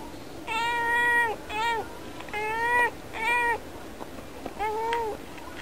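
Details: Pet cat indoors meowing at birds through a window; a lively series of five harmonic meows, long and short alternating, some bending downward at the end, roughly one every second, against quiet room hum.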